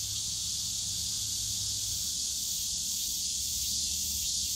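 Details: Continuous shrill cicada drone in the bamboo forest at Yongsan Family Park on a summer day, loud and even throughout, over a low murmur of distant park sounds.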